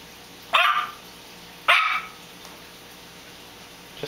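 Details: Pebbles, a female Yorkshire Terrier, throwing a temper tantrum over her toys: two sharp, high barks about a second apart, then quiet room.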